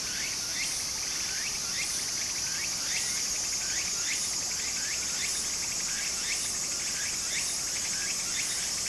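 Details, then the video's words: Cicadas calling in Japanese summer next to a brook: a sustained piercing drone punctuated by bright rising rasps about once a second, each paired with a brief high flick. "小川の流れと蝉の声 自然音 ～夏～ Japan Sound of nature Cicada's voice"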